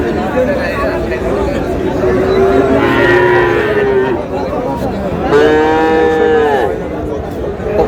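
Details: {'caption': 'Friesian and crossbred bull calves at Raniganj cattle market, Dinajpur, on 30 July: two drawn-out, harmonic moos, the first lasting about two seconds, the second rising then falling, over constant crowd chatter and bargaining voices.'}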